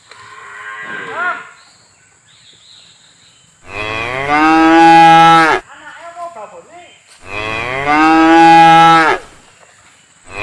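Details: A cow roaming freely in a palm plantation, being herded to the barn, gives two long, loud moos, each a rich harmonic bellow lasting about two seconds.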